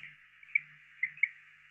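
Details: A greenhouse frog, a tiny frog originally from Cuba and farther south, found around houses in Southwest Florida, gives a few brief, high, insect-like chirps in quick, uneven succession over a faint steady hiss.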